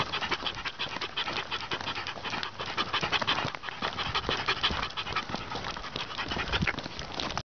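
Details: Dachshund Rip, out on his 49th consecutive daily walk of at least six miles, pants steadily: rapid airy huffs near three a second, continuous and slightly irregular, over faint crunching steps.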